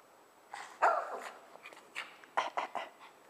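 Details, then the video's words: Shih Tzu indoors, jealous as a rubber duck toy is stroked, giving a few short sharp yappy barks and grumbles in a small room. "Shih Tzu gets jealous of a rubber ducky"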